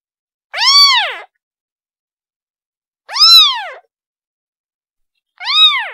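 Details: Three loud, sharply arched meows from a kitten calling its mother, spaced about two to three seconds apart in a quiet setting.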